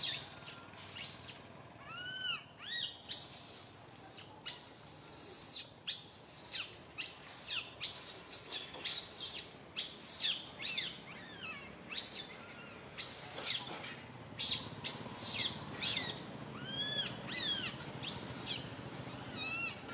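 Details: Baby monkey Santo, crying loudly on a branch as mother Sara cannot care for him; persistent shrill screeches about every second and a half, mixed with occasional clear arched whimpers.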